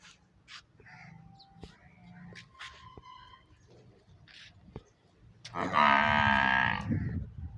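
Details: Water buffalo calf letting out one loud, drawn-out nasal bawl near the end, after a stretch of quieter knocks, faint hum and scattered clicks.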